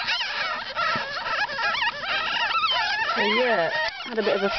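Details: Newborn ferret kits from a litter of ten squeal in high wavering tones; toward the end a lower, drawn-out rising and falling whine stands out against the chorus.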